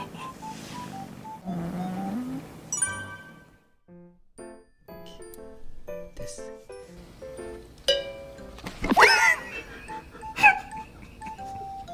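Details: Playful music with chimes, jingles and bursts of voices fills the recording, and no animal sound stands out.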